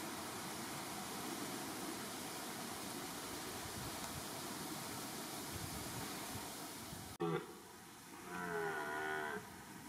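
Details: A red deer stag roars during the rut in Weerterbos, Nederweert, Netherlands: a deep, drawn-out roar after a stretch of rushing noise.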